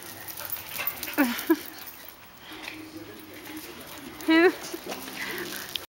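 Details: Tipper, a black Labrador Retriever, and Nelly, a Boston Terrier, keep playing at night while the household settles in to sleep; brief high whining whimpers burst out near one second and again after four seconds, with soft human speech between.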